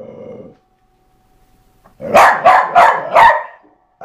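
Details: During skateboard play, Eva, a pet dog, lets out a low brief growl, then after a pause four quick, evenly spaced loud barks.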